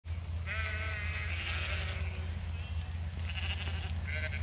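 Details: Zwartbles ewes at feeding time on a regenerative farm in County Kilkenny, Ireland, after torrential rain: several wavering, harmonic bleats overlap, one long cry then shorter ones, over a steady low droning hum.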